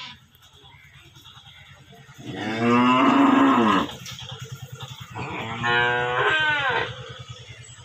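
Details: Cow mooing twice: a long, loud harmonic moo rising then falling, about two seconds, followed after a pause by a second, shorter wavering moo; steady low engine-like hum throughout.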